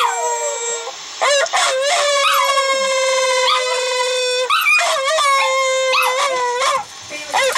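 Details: An old female Silky Terrier/Chihuahua cross, howling along to a dog howl played on a computer, gives long, sustained wavering howls broken by brief yips and rising whines; Silky Terrier/Chihuahua cross.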